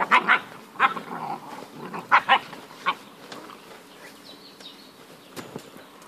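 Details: Puppies giving short high yapping barks, several quick paired yips in the first three seconds, then fainter scattered sounds and quieter background.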